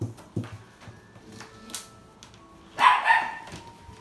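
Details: Male yellow Labrador Retriever, born 6 April 2019, kept at a pet shop: one loud, rough double bark late in the clip after scattered clicks and knocks indoors, with faint steady musical tones underneath.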